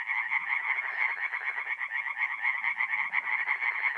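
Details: Tree frogs singing at night in a forest pond in mid-April, north-east Italy; a dense chorus of rapid, rasping pulses, about three per second, overlapping calls forming a continuous croaking band.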